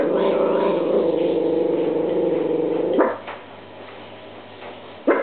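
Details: Apollo, a pet dog, barks at a washing machine spinning unusually on its dry cycle: one sustained, harmonic growling bark about three seconds long, then quiet machine hum with a short sharp bark at the end.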